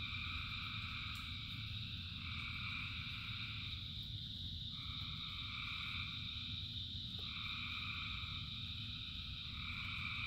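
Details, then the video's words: Many frogs calling in the rain, with a steady high chorus and overlapping two-toned trilling calls that swell and break off every couple of seconds over a constant low patter of rainfall. "Frogs in Rain 2 Hours of Frogs, Thousands of Frogs Singing"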